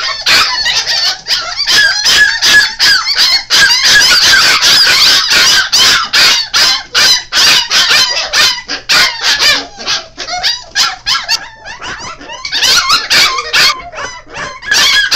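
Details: Young Golden Retriever / Alaskan Malamute mix pups at five weeks cry together in continuous high, wavering squeals and honk-like yelps, several voices overlapping, with short pauses between bursts.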